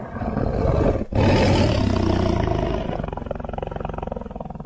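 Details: Luangwa Valley lions eating and playing with family members. A continuous rasping, rapidly pulsed growl rumbles on with a brief break near the first second, then slowly fades.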